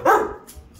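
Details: A Rottweiler in training gives a single deep, harsh bark on the "speak" command, sharp at the start and quickly fading.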